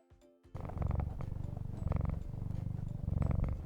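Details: Cat purring with a steady, deep, rhythmic rumble pulsing in even waves, preceded by a brief musical note at the very start.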